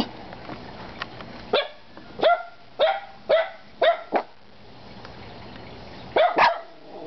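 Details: Three dogs, Kona, Koko and Konnor, barking: about seven sharp, loud barks spaced roughly half a second apart, a short pause, then a final double bark, with a low steady background hum.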